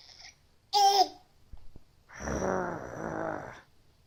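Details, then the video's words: Willow, a pet cat at home, known for strange noises, gives one short rising mew, then a long, rough, throaty warble lasting over a second, in a quiet room. "Willow and her strange noises"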